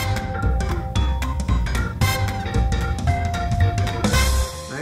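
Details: Upbeat music with a heavy drum kit, bass drum and sustained synth notes, with no animal sounds audible.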